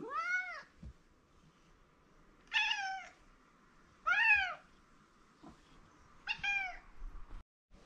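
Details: Mike, a male pet cat who likes his owner, repeatedly meows indoors for attention; four bright, harmonic meows spaced about two seconds apart over a steady low hum.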